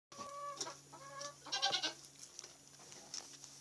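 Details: Nigerian Dwarf goat kids about two weeks old, kept with a Great Pyrenees dog; three high, nasal, harmonic bleats follow one another within two seconds, then soft rustling and clicks over a steady low hum.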